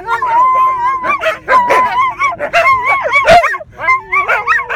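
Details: Two mid-content wolfdogs and a Siberian Husky howl together in a car on the road, long wavering overlapping tones, joined by a person howling along.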